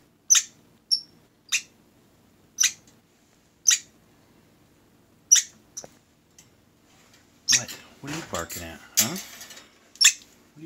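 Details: Group of orphaned squirrels complaining about eating broccoli instead of Cap'n Crunch cereal: sharp, very high chirps repeated roughly every second, then a human voice speaking over a burst of mixed sounds.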